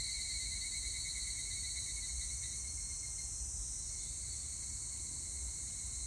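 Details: Evening cicadas (higurashi) on 25 July 2019 fill the air with a steady, shrill, high-pitched ringing chorus.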